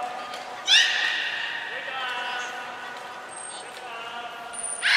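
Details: Belugas Nana, Mirai and Niko during a training session at Port of Nagoya Public Aquarium: a bright harmonic whistle bursts in, then holds steady and wavers slightly before fading, with a faint high tone and hall echo behind.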